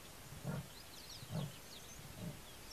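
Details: Male leopard at dawn at Mbusi Waterhole, Limpopo-Lipadi reserve, giving territorial calls as he walks away, caught by a trail camera. Three low, rasping, saw-like grunts come roughly a second apart over chirping birds.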